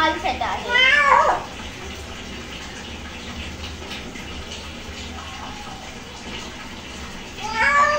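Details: Cat reacting to being bathed; a loud, drawn-out wavering meow near the start and another at the end, with watery background noise and faint voices between.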